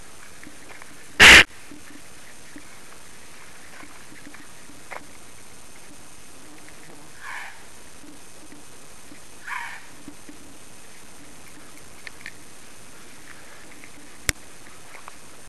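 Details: A gray fox at night in a residential neighbourhood, caught in a flashlight beam, calls back to a person who called it, giving one sharp, harsh bark, then two softer, fainter yips.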